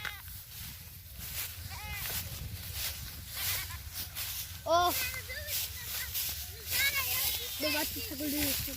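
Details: Baby goat playing with a boy, giving a few short wavering bleats, the loudest near the middle and more toward the end, mixed with people talking and background music over a low steady hum.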